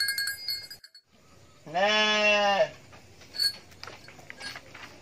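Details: A goat, filmed while scratching its back, gives one loud, nasal bleat lasting about a second, steady then trailing off.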